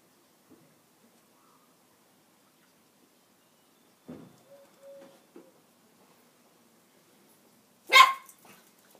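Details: Benji, a Border Terrier, barking at a broom indoors: a few soft low yips and a short tonal whine mid-clip, then one loud, sharp broadband bark near the end amid otherwise quiet room sound.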